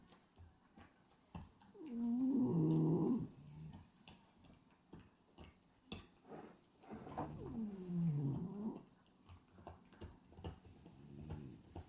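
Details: French Bulldog Hachi, a pied black-and-white male, asleep with tongue flapping, gives his usual snores: two long, rough, buzzing breaths about five seconds apart, with soft snuffles and rustling between them.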